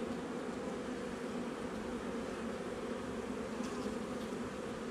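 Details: Dense, uniform buzzing of a honey bee colony in a nuc hive under inspection on 8 July 2020, roughly a month after installation. The steady hum runs the whole time.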